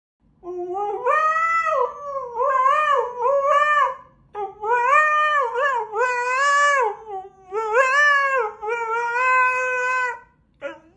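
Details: Siberian Husky howling in a way described as singing: a series of loud, wavering, melodious howls in bursts of one to two seconds with short breaths between, rising and falling in pitch, with a brief sharper yelp at the end.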